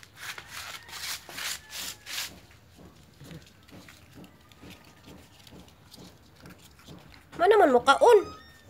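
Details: Labrador and Japanese Spitz mix puppies indoors; two loud rising-falling whines with bright harmonics near the end, after softer rhythmic sounds and faint background noise.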